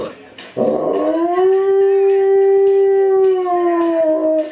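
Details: A pet male Spanish Water Dog howls, as he does each time he hears one particular Adele song. After a short yelping start comes one long, steady, tonal howl of about four seconds that sags slightly at the end.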